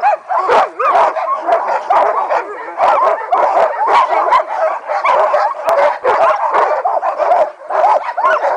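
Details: Mahoosuc sled dogs anticipating the run: a crowd of dogs barks, yips and howls in a continuous overlapping chorus, with sharp mid-pitched barks and yelps crowding every second and hardly a pause.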